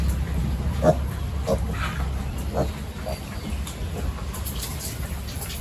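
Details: Pig on a village farm during the morning feeding and pen-cleaning routine, giving short, low, rough grunts spaced about a second apart over a steady hum of farm machinery.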